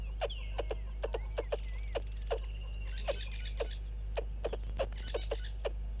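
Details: Squirrel below a waterhole camera at Gowrie dam, Djuma Game Reserve, Sabi Sand Wildtuin, South Africa, at 06:24: sharp, clicking chips repeated irregularly, about two to three per second, with a bird whistling sweeping notes and a steady low hum.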